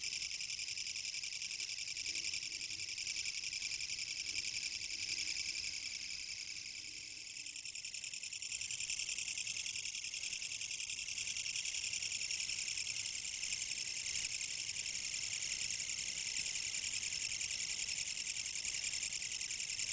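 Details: Kutsuwamushi katydid song recorded in Japan, autumn 2014: a relentless high buzzing made of quick rhythmic pulses, dipping briefly in loudness around the middle before swelling back, steady rasping texture.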